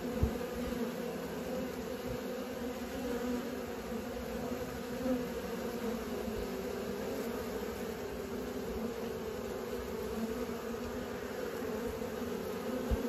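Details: Honey bees learning to fly near their hive, a constant layered humming drone from many insects, steady in loudness with occasional soft knocks.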